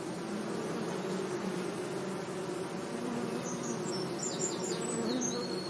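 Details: Bees humming among flowers in a sunny meadow, a constant low buzz, with a few high, thin bird chirps breaking in over the last two seconds.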